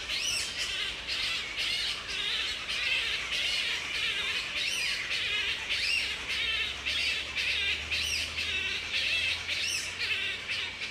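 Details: Mating-season chatter of wild grey-headed flying foxes roosting in pairs at Woodford, Australia, in mid-April; dense, harsh squawking with bent, wavering notes repeated almost twice a second, a low hum underneath.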